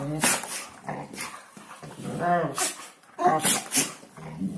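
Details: Hungarian Vizsla talking at New Year with wavering, harmonic howl-like moans and grumbles, short bursts rising and falling, sharp clicks between phrases.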